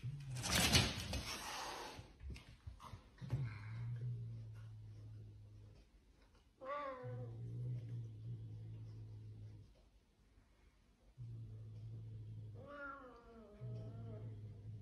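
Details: Domestic cat from a compilation of pet reels, indoors, giving two drawn-out meows, one bending downward and a later one rising then falling, after a loud rustling burst at the start, over a steady low electrical hum.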